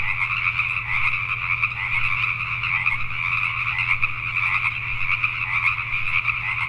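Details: Many Pacific tree frogs croak together after dark in Richmond, British Columbia, Canada, their overlapping rattling calls forming a constant, even chorus over a persistent low mechanical hum.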